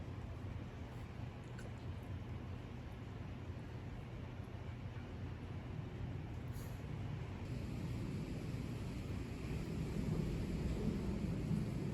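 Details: Steady low rumbling like traffic or wind noise, with no animal voice heard.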